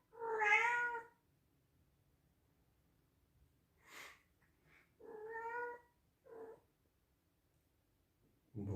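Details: Loud meows from a male Scottish Straight cat born in 2021: a strong opening meow, a soft hiss-like breath, then two shorter meows and a brief clipped one, ending with a low bump of handling noise.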